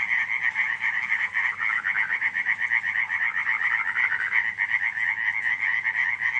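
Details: Night-time frog chorus at Radziszów in July 2015, with many frogs producing rapid rattling croak trains that overlap into a steady, unbroken wall of sound.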